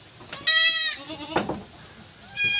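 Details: Goat kids, triplets being given powdered milk to supplement their mother's milk, bleating: two high, clear bleats with a thinner tremulous call between, a person speaking briefly.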